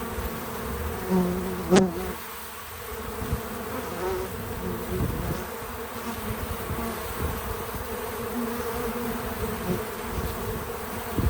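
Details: Bees at a feeder in real-time natural sound: a low droning hum that thins after a sharp click near two seconds, then continues as a quieter, even buzz with faint fluctuations.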